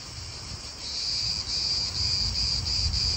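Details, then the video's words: Cicada call in an Italian park, a high shrill buzz that swells in strength after the first second and pulses rapidly, with low wind and distant car noise underneath. "italian park ASMR Cicadas wind real atmosphere in an Italian park birds"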